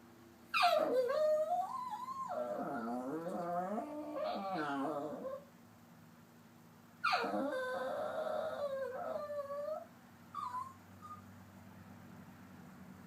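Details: Sulking papillon mix dog Popcorn, upset indoors, produces long whining moans: a high falling slide into a wavering drawn-out whine, a pause, then another similar whine and a couple of brief faint squeaks near the end.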